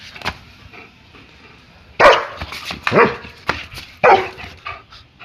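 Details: German Shepherd barking during play: three loud, harsh barks about a second apart, broadband and rough, with quieter scuffling and a short yip before them.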